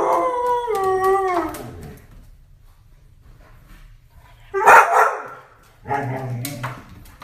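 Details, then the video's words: Hungry Vizsla dog wanting dinner, 'talking' to its owners: a drawn-out, gliding whine that falls in pitch over the first second and a half, then after a pause two rough, throaty vocal bursts. "I want dinner! Hungry vizsla talking to us."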